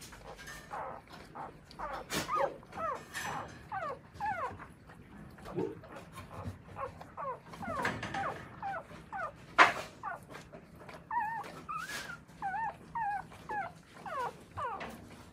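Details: Newborn Akita puppies being raised and nursed by their mother in Akita, Japan, giving a steady stream of short, high, squeaky whimpers and squeals, some rising then falling, with rustling and soft bumps between them.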